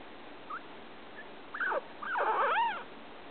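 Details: Male pet guinea pig, kept with a male cage mate, making unusual sounds while eating: a few faint short squeaks, then a louder burst of arching, wavering tonal squeals near the end, over a quiet background.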